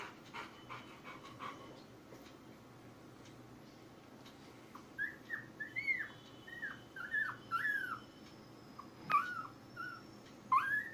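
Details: Ten-day-old Labrador Retriever puppies squeaking in a litter: short, high, arched whimpers and squeals, quiet at first, then coming in quick irregular bursts through the second half over a faint steady hum.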